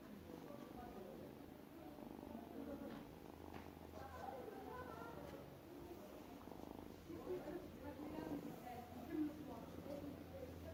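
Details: A small cat making a strange sound while eating: a steady, low, rumbling purr-like murmur with wavering tonal overtones that continues throughout, swelling slightly near the end, recorded indoors.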